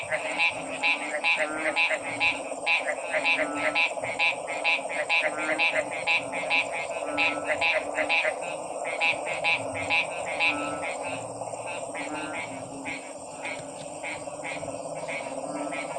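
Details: Frogs calling in a dense chorus, sharp croaking pulses repeated rapidly, about two per second, overlapping one another above a steady hiss and low background murmur.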